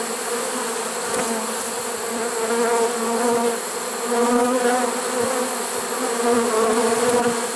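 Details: Honey bee swarm caught in a swarm trap in early September 2019, late in the season; a steady, dense buzzing hum of many bees, layered and continuous, with gently swelling loudness throughout.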